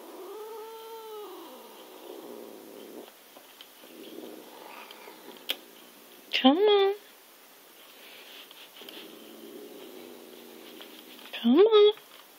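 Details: Indoors, the cat Zip (Mei Mei) protests being moved off a laptop perch, giving two sharply rising, bending meows several seconds apart, with a softer drawn-out cry early on and low room hum between calls.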